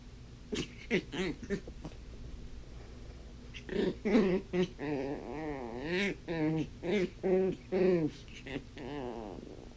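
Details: Blind female puppy playing with her toys indoors makes rapid wavering whines and grumbly yips in quick bursts, with short pauses between the bursts.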